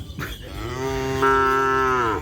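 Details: A cow that has just arrived at the field gives one long, steady, low moo lasting about a second and a half. It swells slightly partway through and ends with a short downward slide. A brief voice is heard just before it.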